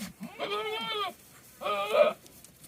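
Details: Goats in rut, one in heat, give two loud, wavering bleats, each under a second, with a short pause between; goat (Capra hircus) bleat.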